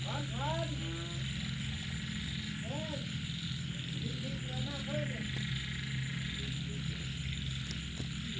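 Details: Frogs and small toads calling at night after rain: brief harmonic croaks, each rising then falling, come in clusters at the start, near three seconds and around four to five seconds, over a steady low hum, a high constant tone and dense buzzing chorus.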